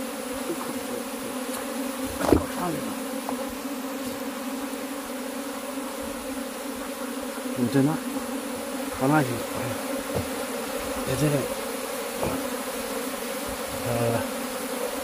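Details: A steady, droning hum of many honey bees at a hive during beekeeping, with a man speaking now and then while searching for the queen.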